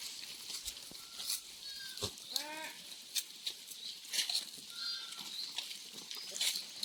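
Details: Goats on a farm, very thirsty in scorching weather; a single wavering bleat sounds just past two seconds among scattered clicks and knocks, under a continuous high-pitched buzzing hiss.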